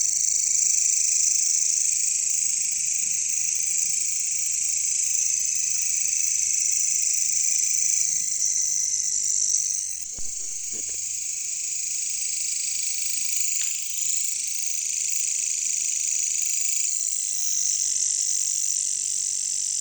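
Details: Caricangkas, or katydids, calling in jungle: a continuous shrill, high buzzing drone that shifts slightly in tone over twenty seconds, with a brief low knocking sound near ten seconds.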